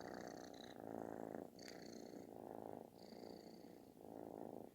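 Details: Snore-like loud purr of a kitten being affectionate, rhythmic rumbling swells about once a second with faint thin high sounds over the top.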